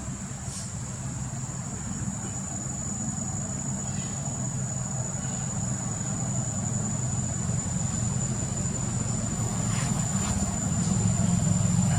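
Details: A constant low rumble of passing vehicles fills the recording, with murmured human voices in the background. A thin, steady high-pitched whine runs throughout, and no animal sounds stand out.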